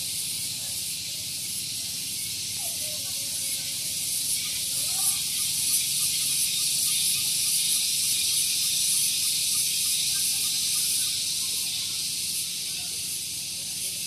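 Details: Loud cicada chorus on a morning at Gunung Geulis in Bogor, West Java, recorded close to a parking area; a shrill continuous buzz with quick, regular throbbing, swelling slightly midway, over a quiet low hum.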